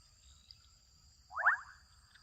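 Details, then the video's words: Adolescent frogs in Kenyan wetland habitat; a single brief, grating call of several fast upswept pulses sounds midway, softer than nearby calls, over low rumbling background noise and a steady high whine. "Adolescent frogs calling out in Kenyan wetland."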